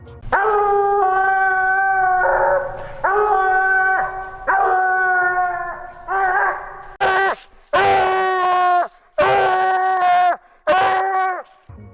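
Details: Coonhound giving the long drawn-out howl called a bawl, used on the trail to signal being on the track; sustained, steady, harmonic howls of about one to two seconds, followed by a run of shorter, sharper, louder howled bursts.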